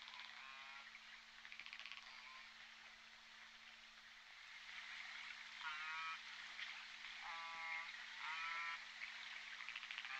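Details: J Pod orcas on the Point Robinson hydrophone, December 14, 2021, give several clear, nasal, harmonic calls, each about half a second long, some rising or falling, recurring every second or two over a continuous hiss and a low hum.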